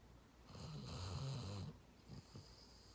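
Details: Sleeping dog snoring indoors: one long, low, rumbling snore of about a second and a half, followed by softer, shorter breathing sounds.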